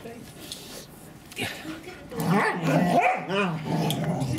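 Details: English Springer Spaniel Daisy tries to coax her son and daughter into play, giving a quiet start, then a burst of arched, whining barks and a growly undertone, while a person speaks over her.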